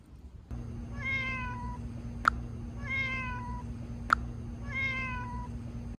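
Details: Sick stray kitten with sore eyes, a purebred found near Geojeri market, not eating though hungry. It gives three drawn-out harmonic meows about two seconds apart. Sharp clicks fall between them over a steady low hum.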